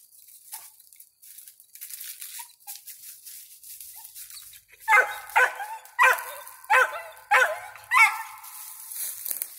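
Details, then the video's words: Five-month-old squirrel dog Ranger, with a squirrel treed, starts with a few faint whimpers over background hiss, then breaks into six loud, evenly spaced barks roughly every half second. "Ranger treed with the squirrel"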